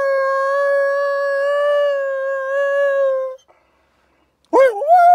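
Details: A sanctuary wolf in Spain howls in conversation with people: one long, steady, level howl held for over three seconds, a short pause, then a new howl starting with a wavering upward slide.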